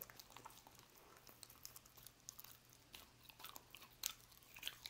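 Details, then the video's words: Dog eating roast beef indoors, with soft wet chewing and sharp crunchy bites at an uneven pace, the loudest snaps near the end; steady low hum underneath. "Dog Eating Roast Beef"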